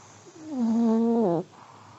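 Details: An old Pomeranian snoring in its sleep: one single steady, buzzy-tonal snore lasting about a second, which dips slightly in pitch at the end. Quiet breathing comes before and after it.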